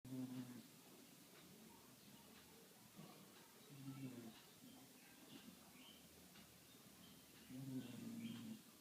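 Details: Sleeping dog snoring indoors, low rumbling harmonic snores about a second long returning roughly every four seconds, with faint high chirps in the background between breaths.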